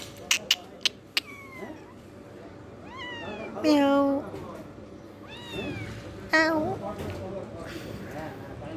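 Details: Cat meowing several times: short harmonic meows with rising-then-falling pitch, one longer drawn-out meow midway. A person speaks Hindi over it, and a few sharp clicks come at the start.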